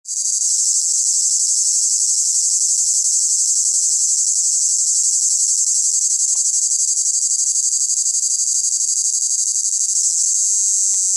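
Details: Male cicadas sing a continuous, shrill, high-pitched buzz that holds steady without a break, produced by abdominal cymbals, to attract females.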